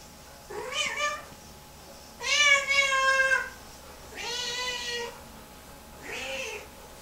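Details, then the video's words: Lynx Point Siamese cat, a female upset several hours after her bath and having a meltdown in the bathroom, gives four harmonic-rich meows in a row, the second long and loudest, the others shorter and arched, in a small quiet room. "Lynx Point Siamese Cat PTSD 5 hours after bath"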